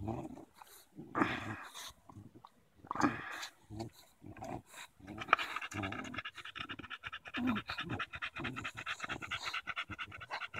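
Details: Daisy, a Bulldog at play with a branch on a July 2014 walk in Erindale Park: scattered snorts and rustling at first, then settling into quick, even panting for the last few seconds.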